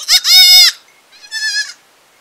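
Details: Baby goat in a village giving two quavering bleats, the first loud and strained, the second softer and shorter, nothing else audible.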